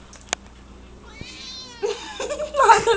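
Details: Cat at play indoors giving a drawn-out, wavering harmonic meow, followed by a person's voice and rustling handling noises.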